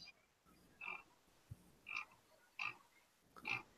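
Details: Frog croaking in the background of a relaxed livestream chat: four short, raspy, mid-pitched croaks at uneven intervals of about one second over a faint hum.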